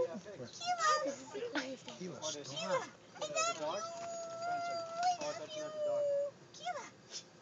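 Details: A talking dog gives short wavering yowls, then one drawn-out, steady whine-howl held for about three seconds. A person keeps saying "I love you" over it.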